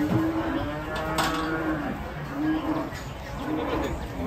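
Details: Agitated cattle being unloaded from a truck low repeatedly, with fairly quiet, wavering moos recurring about once a second under a blanket of background noise and distant voices.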